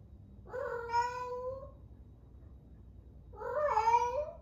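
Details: Eleven-month-old female rescue cat Ame, in Osaka, Japan, at the peak of her first heat, gives two long, rich wailing meows about three seconds apart, each steady then gently rising at the end, in a quiet room.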